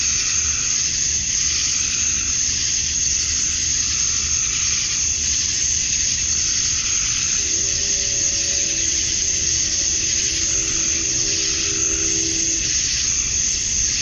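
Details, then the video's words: Male cicadas singing at summer dusk in Georgia, USA, to lure females: steady piercing high buzz filling the clip, while a faint low droning tone appears midway and fades near the end. "Cicadas at Dusk, Summer Night"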